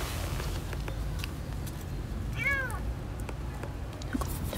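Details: Kitten stuck in a sewer drain gives a single short arched meow midway through, over steady low rumbling background noise.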